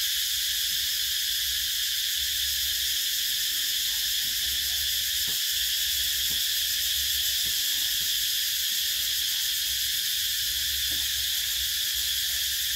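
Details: Cicada chorus in summer: an even, shrill electric-sounding buzz that runs throughout, with a few soft ticks and faint low rumble in the background.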